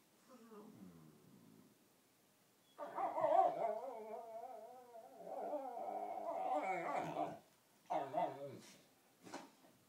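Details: Dog serenades another dog while playing bitey-face indoors, a so-called whale song; faint low moan, then a long, loud, warbling howl-like vocalization with wavering pitch, followed by short grumbling bursts.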